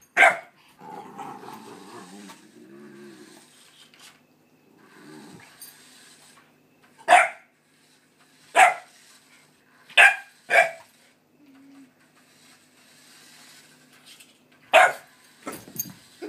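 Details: Dog meeting another dog: low growling and whining at first, then single sharp barks spaced a second or two apart, with quiet stretches between.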